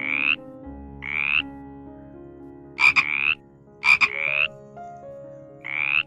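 A frog gives short, rasping, slightly rising croaks, repeated about once a second, sometimes in quick pairs.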